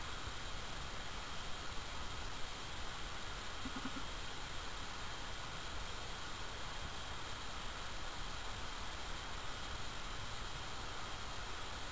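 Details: Steady low rumble and broadband hiss, like wind or distant traffic, with no animal calls heard.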